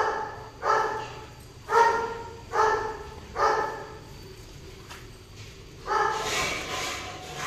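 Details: Golden retriever during mating: five short, tonal yelping whines at roughly one-second intervals, each with bright stacked overtones, followed by a louder, rougher cry near the end over a low steady background hum.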